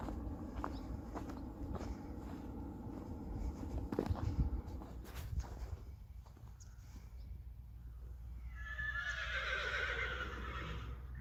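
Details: Friesian horse from a herd at sunset as dusk falls, a long wavering whinny with stacked harmonics in the last few seconds, preceded by low rumbling, thuds and scattered clicks.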